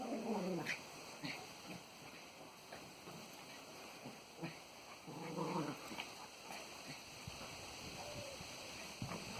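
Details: Springer and cocker spaniel rescue dogs at play in the garden, freshly back from a walk; two short throaty, buzzy growling bursts about five seconds apart, with scuffling and rustling between them and steady background hiss.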